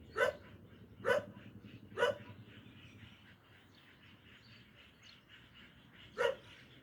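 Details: Guarding dog sounding alarm with sharp barks, three in quick succession about a second apart, then a long quiet gap before one final bark, steady low hum underneath.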